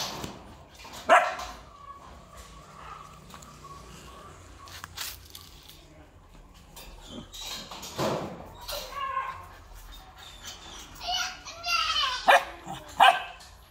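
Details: Purebred large-line Rottweiler at a Vietnamese breeding kennel, a few sharp barks mixed with higher whining, yelping sounds and scattered background noise, the barking growing busier toward the end.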